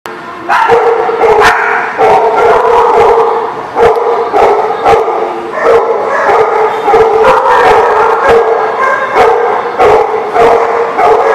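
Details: Dog barking recorded on May 18, 2019: loud, dense, continuous barks, sharp and harmonic, often overlapping and repeating rapidly through the whole stretch with only brief gaps.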